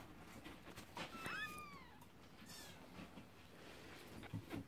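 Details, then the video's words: Scottish Fold kittens, one giving a single short meow that slides downward, set among soft rustling and handling noises in a quiet room. "Scottish fold kittens"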